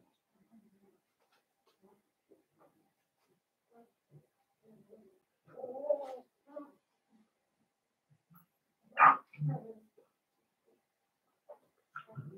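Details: Cavalier King Charles Spaniel puppies, blenheim, from a litter of five in an indoor pen. Mostly quiet rustling, broken by a drawn-out wavering whine and later a sharp high yelp followed by a lower grunt.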